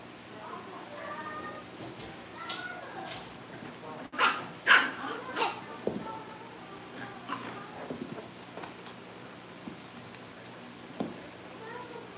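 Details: Cavalier King Charles Spaniel puppies at home, getting ready for pick-up by their new families, give short sharp yips and barks in clustered bursts, strongest between two and six seconds. Softer yelps follow, over a steady household hum with faint human voices.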